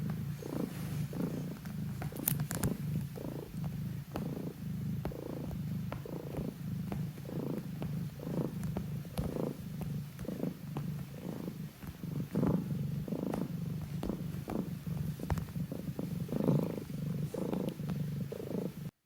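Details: House cat Q purring in its throat while kneading near sleeping companion Pon; deep, even purr with regular breathing pulses throughout, close and loud in a quiet room.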